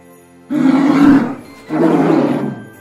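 A polar bear gives two deep, rasping roars, each about a second long with a short pause between, over faint background music.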